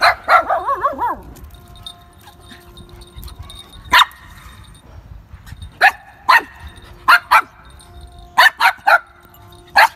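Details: Street dog and Pomeranian, each with her puppy, playing together; a wavering whine opens, then sharp high yapping barks come singly and in quick pairs across the rest, over a quiet background.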